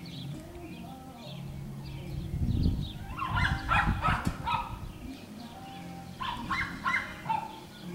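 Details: Schnoodle puppies, a Miniature Schnauzer mother and Miniature Poodle father cross, playing on an Iowa farm; short high yelping barks come in quick clusters, two bursts a few seconds apart, over steady background music.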